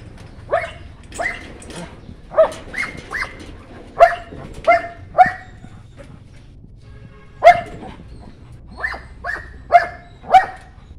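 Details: Sharp puppy barks from White German Shepherd pups, coming in loose clusters of two or three with silent stretches between, the longest gap around the middle.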